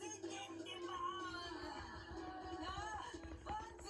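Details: Indoor music with a synthetic-sounding sung melody over a low hum.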